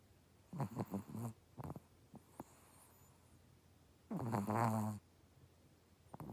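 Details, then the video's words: Chihuahua snoring: two bouts of low, rough, pulsing snores, a short series near the start and a louder, longer rasping snore later, with soft breathing noises between and a quiet room otherwise. "Chihuahua snoring"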